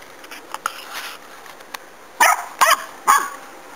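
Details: Puppy barking at a pig: after a stretch of faint, scattered noises, three sharp, loud barks come in quick succession near the end, each bright and harmonic, roughly half a second apart.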